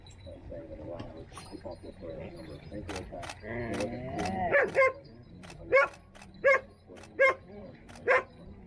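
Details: Standard poodle in Sun Valley, Idaho, letting out six short, sharp barks spaced about a second apart in the second half, after people talk over a low background rumble.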